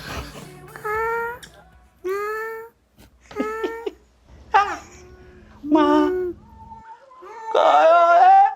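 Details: A domestic cat, reportedly hypothyroid and known for human-like meows such as calling "nuna", gives a series of drawn-out, tonal meows aimed at its human caregiver.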